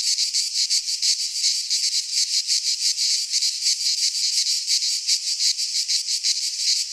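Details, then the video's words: Cicadas singing in midsummer in a Greek pine forest: a loud, dense, high-pitched rasping buzz, pulsing rapidly and steadily without pause, with no other clear sounds. "Cicadas singing in midsummer - Nature sounds from the Greek fauna - Sounds of cicadas"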